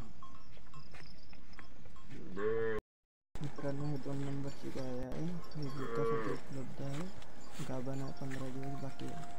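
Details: Cow offered for sale, in her second lactation, two teeth, kept with a female calf; several deep, drawn-out moos with rich harmonics, some short and some long, over steady background hum.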